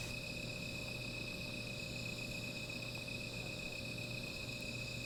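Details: Insects at night near a small fire, an unbroken shrill trilling hum at even loudness, layered high ringing tones over a soft low rumble, with no other clear sounds.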